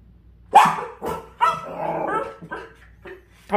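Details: Dachshund barking in reaction to a puppy stuck beside an air conditioner indoors; several short sharp barks spaced irregularly, with a person talking nearby.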